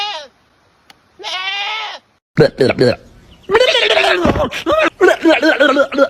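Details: Goat at feeding time uttering a brief bleat and then a wavering nasal bleat lasting under a second, after which a man speaks loudly over the scene.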